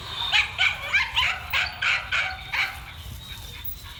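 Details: Male dog on the run, barking in a fast, uneven series of eight or so sharp, yelping barks over three seconds, then a quieter tail with light background hiss.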